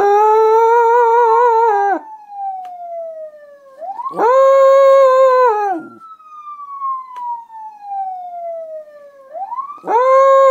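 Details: A female pet dog howls along with a passing police-style siren, as she does whenever she hears one. Wavering, tonal howls of about two seconds alternate with the siren's long falling and rising wail, and the howling returns each time the siren climbs.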